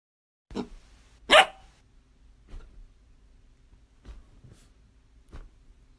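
A dog gives a couple of sharp, loud barks, followed by softer, shorter yips.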